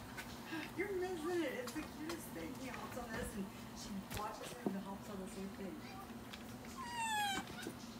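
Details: Indoors in a hotel, a baby long-tailed (java) macaque gives wavering, cat-like meows over a person's voice while playing and chasing with a young green monkey.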